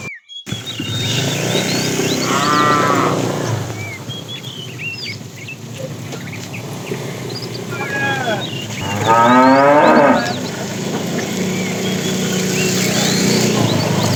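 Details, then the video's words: Fat tame cow in a herd driven in the afternoon, calling the female: two long harmonic moos around three and nine seconds, the second louder and rising, over steady low rumble with twittering birds throughout. "The funny sound of a fat cow calling the female"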